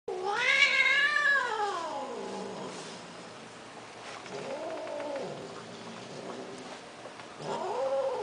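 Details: Persian kittens offered for sale, meowing: a long, loud harmonic meow rising then falling over about two seconds, followed by two shorter, softer arched mews, all against low room hiss.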